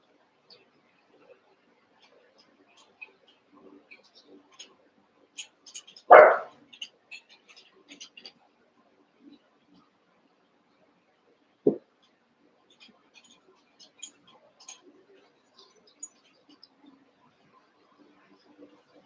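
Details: Eight Cavalier King Charles Spaniel puppies from two litters, joined together one evening during play; a single sharp bark bursts out early, a shorter yap follows several seconds later, with soft shuffling and clicks between.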